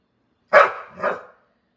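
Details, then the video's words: A 'talking' Pit Bull dog, female, gives one rough two-part woof-like grumble, a loud burst dropping into a softer second syllable, with no other sounds. "Talking Pitbull Dog"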